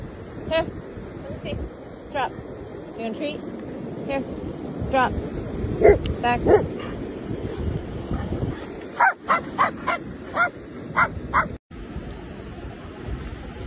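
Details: German shepherd and a little dog playing in India: short sharp yips and barks in scattered bursts, clustering around the middle and late seconds, over a man calling out commands and repeated words throughout.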